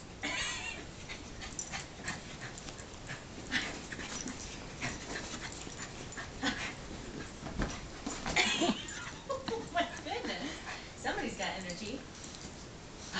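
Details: Oscar, a pet dog, wrestles with one of his favorite toys, a Pillsbury Doughboy, making breathy huffs, snorts and short rough growly bursts in irregular spurts, with a few thin squeaky notes near the end.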